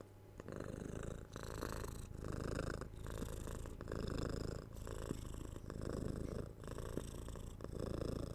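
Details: Close-recorded pet cat purring: rhythmic low rumble alternating between inhaled and exhaled phases under a second apart, each with a soft breathy hiss, steady and relaxed.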